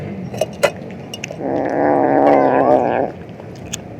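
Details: Domestic cat, a male, vocalising noisily while eating: one drawn-out, harmonic, moaning growl lasting about a second and a half, framed by faint clicking chewing noises indoors.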